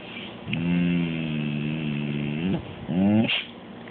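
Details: Smoothie McCool, a grumpy pet cat that gets fussy without massages, gives a low, drawn-out droning moan lasting about two seconds, then a shorter rising grumble. Quiet room background.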